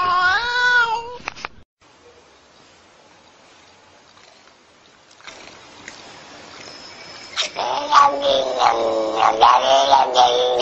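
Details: Talking cat gives a long wavering meow at the start, then near silence, followed by loud, rapid, harsh yowling meows with shifting pitch over the last three seconds.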